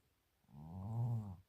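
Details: Chino, a male cat, is upset and complains because he wants to sit on a chair. He gives a low, drawn-out moan of about one second that swells and fades. A woman's voice speaks just before and after.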